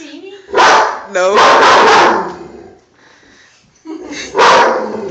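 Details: Dog barking at an army man poster board indoors, two loud harsh barks about three seconds apart, a person speaking softly between them.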